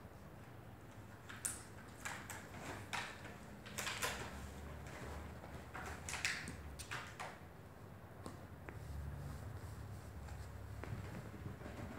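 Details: Sharp clicks and crinkling of plastic bottles in a room, with faint low hum and no barks or whines.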